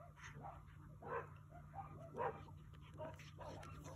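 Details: Three coyotes playing or fighting at close range; a few scattered short yelps and growly barks, two louder ones standing out, over a constant low hum.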